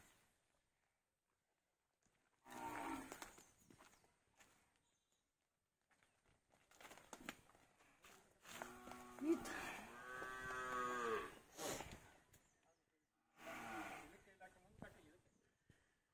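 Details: Young Hallikar bull calf, fourteen months old, giving a long wavering moo among bursts of men talking in Kannada nearby, with footsteps and handling noises between quiet gaps.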